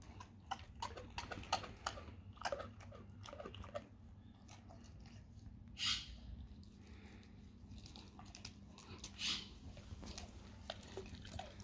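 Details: Raw cow tongue being chewed by a dog indoors: sharp crunches clustered in the first four seconds, then two longer hissing bursts amid quieter bites, low room hum throughout.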